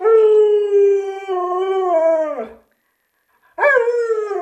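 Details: Alaskan Malamute named Luoluo, a pet dog, giving a long, steady, harmonic-rich howl of about two and a half seconds that wavers slightly and then drops away, followed by a pause and a second howl starting sharply with a rising onset.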